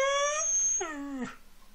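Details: A Siberian Husky howling and "talking" gives a short, tuneful howl that holds steady, then slides down in pitch, while a person repeats "I love you" to it.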